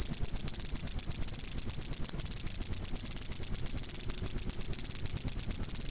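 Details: Continuous cricket stridulation used as a birdsong master recording for cage birds; a steady, shrill pulsing trill held at one high pitch, with one short break near two seconds, otherwise uninterrupted.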